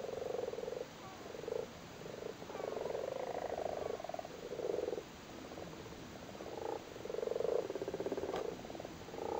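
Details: A chorus of frogs sitting on their spawn in a flooded cattle grid in Cork, Ireland, with purring croaks that overlap almost without pause.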